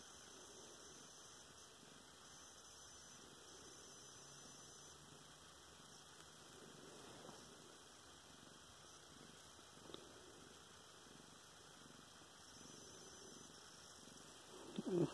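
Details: Luna, a pet cat, purrs while having her stomach scratched on November 10, 2016; a soft, low, steady rumble runs beneath constant electrical hum, with brief rustling of handling near the end.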